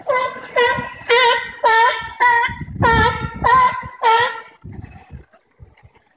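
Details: Sea lions at the Bronx Zoo, recorded live on September 5, 2014, give a run of loud honking barks, about eight in rapid succession at roughly half-second intervals, then fade into quieter background murmur.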